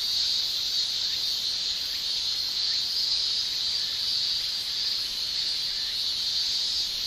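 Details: Summer chorus of male Japanese cicadas, an unbroken shrill high-pitched drone holding steady in level, with faint brief rising chirps from other insects scattered through it.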